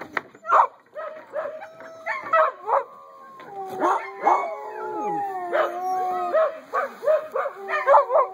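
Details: Several eight-week-old puppies crying together: long, tonal, wavering howls overlap with short yips and whines, some notes sliding downward, while a person talks softly to them.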